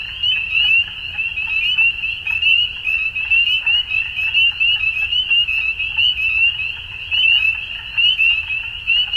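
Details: At dusk, numerous frogs produce an unbroken high trilling chorus, its loudness rising and falling about once a second, sprinkled with sharper ticking notes overhead and a soft low rumble below.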